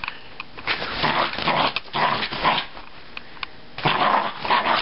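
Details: Lili, a little Jack Russell Terrier, is excited and going wild indoors after her bath. She gives rough, noisy growls and gruff bark bursts in three clusters, with short quiet gaps between them, in a small room.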